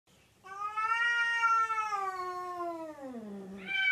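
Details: Hairless cat wearing an ugly sweater, indoors by a dining room table it falls off: one long drawn-out harmonic meow, steady at first, then sliding lower and fading, with a sharper rising cry starting at the end.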